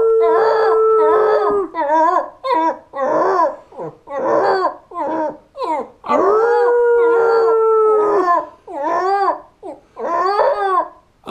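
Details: Border terrier Wilson singing: two sustained, steady howled notes, one at the start and one in the middle, separated by a run of short, choppy, yodelling howls with quick pitch bends, in a small room.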